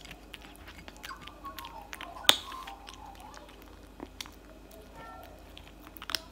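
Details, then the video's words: Tabby cat eating cat food indoors, loud eating: sharp crunching clicks scattered irregularly, one strong crack near the middle, with faint murmured voices in a small room. "eating cat food for 5 minutes straight"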